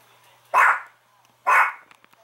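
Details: Barking Chihuahua at home setting off at the door chime, prior to anti-barking training: two loud, harsh, high barks about one second apart over a quiet indoor background.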